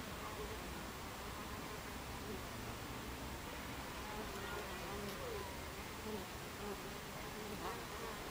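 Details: Buckfast bees at the hive entrance, recorded 26 July 2013 at 14:30: a steady, dense buzzing hum throughout, with faint wavering tonal traces of individual bees passing close, and no other clear sounds.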